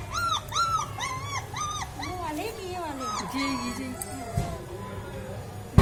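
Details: Cute puppies making natural sounds: a run of high, arched whimpering yips repeated about every third of a second, then lower sliding whines and squeaks, with soft background rustling.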